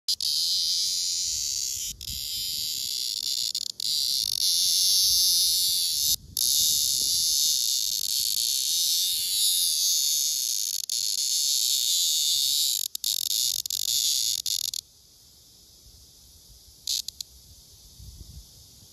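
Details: Blackish cicada, a captured male held by hand against a female, which sings to her: a loud, harsh, dense buzz lasting about fifteen seconds with a few short breaks, then stopping abruptly, leaving faint crackles.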